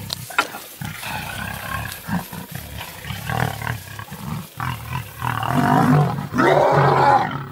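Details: Lioness defending her cubs against nomadic male lions: harsh, broadband growling snarls that build into two long, loud roaring bursts near the end, with low rumbling throughout.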